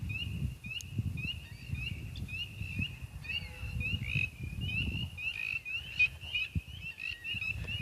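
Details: Spring peepers calling far off in a spring wetland at night, a territorial call from an area that was booming the night before; many short high peeps repeat over each other through a low rumble of wind and handling noise.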